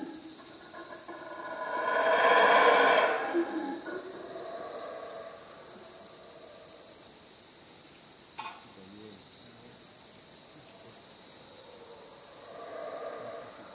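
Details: A howler monkey roaming the area gives a brief, hoarse, roaring howl over a steady high insect drone at night in the Guatemalan jungle, on a trek to El Mirador.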